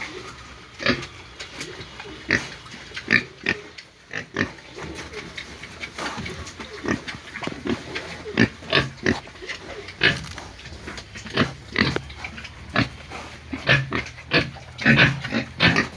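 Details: Pigs squealing and grunting in a long run of short, harsh, noisy bursts at irregular spacing, some sharper squeals among lower grunts, with faint voices in the background.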